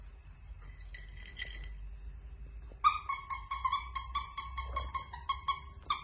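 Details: Yorkshire Terrier giving two short squeaks, then a rapid run of high, clear yelps, about four a second and evenly repeated, over a faint steady indoor hum.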